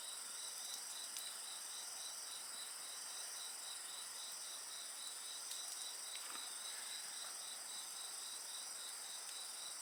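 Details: Insects chirp steadily beside a campfire, a rapid pulsed trill under sustained high-pitched ringing tones, with scattered small crackles and one brief swishing flare of the fire.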